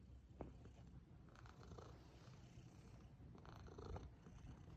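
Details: Scottish Fold cat, a pet at home, purrs softly with a steady low rumbling pulse throughout, very quiet and close, with faint rustles in the background.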